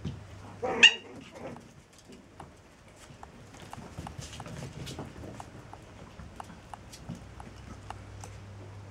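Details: Chihuahua pups seven weeks old: one sharp, high, harmonic yelp near the start, then a long run of soft, quick ticking clicks over a steady low indoor hum.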